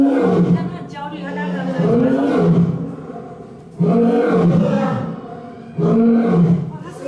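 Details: Male lion, angry, roaring on 19 October 2018 before excited tourists hearing it for the first time: deep, harsh moaning roars about every two seconds, each swelling then fading, with people talking over them.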